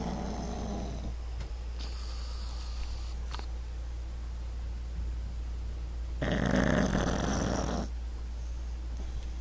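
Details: Pug asleep on his back indoors, snoring loudly in two long rasping breaths, a short one near the start and a broad, louder one around the middle, with steady low hum beneath and quiet pauses between.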